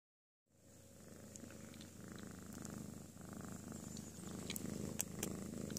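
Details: Domestic cat napping contentedly after a playful tantrum indoors; after a moment of silence a steady, low rumbling purr begins, pulsing evenly several times per second and growing slightly louder, with faint clicks.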